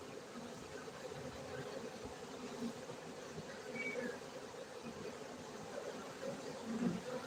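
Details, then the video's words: Honey bees at a honey bee farm in Gayo, Bener Meriah, Aceh, Indonesia, kept for beekeeping: a steady, low droning hum of many bees that holds level throughout, with faint brief higher notes in the background. "lebah madu gayo"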